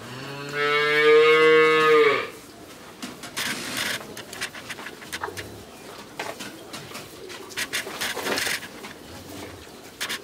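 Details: Friesian heifer calf, thirteen months old, in Pabna, Bangladesh, giving one short droning moo of about two seconds, followed by clattering, rustling farmyard noise.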